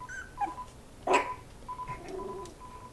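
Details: Miniature Pinscher puppies indoors whimpering: thin, high whines with a few short yelps and one sharp clatter midway, faint room noise behind.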